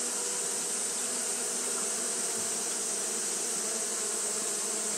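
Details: A continuous hum of Japanese honey bees fanning in hot weather: an even, low, many-wing drone that never changes, with a strong high hiss on top.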